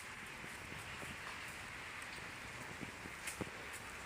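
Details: Steady hiss like rain or static with faint scattered taps, no animal call audible.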